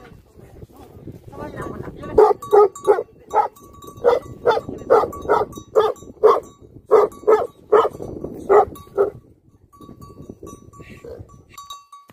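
Livestock guardian dogs bark in a steady run of deep, loud woofs, about two or three each second.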